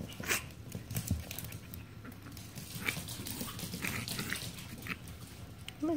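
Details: Yorkshire Terrier puppy, female, from a Michigan teacup Yorkie breeder, being coaxed indoors; a short high rising squeak near the end, with soft rustling and a woman's gentle encouraging voice throughout.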